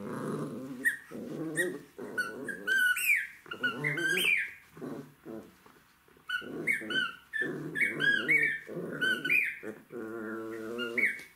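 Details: Puppy of the Jack Russell Terrier breed at play with toys, giving long low rumbling growls that run almost continuously, broken by brief pauses, with bright squeaky chirps layered above and a voice faintly in the background.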